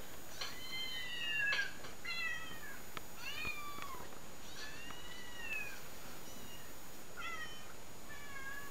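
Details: Meowing cats heard from a played-back recording while a house cat watches. A quick run of about eight meows, some short and clipped and others long and sliding downward, overlaps at times, over steady background hiss.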